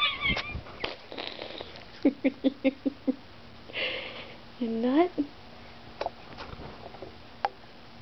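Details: Pet cats indoors being fed treats; one gives a single drawn-out meow that rises then bends down, after a quick run of short clipped pulses, with a person talking over the scene and scattered clicks.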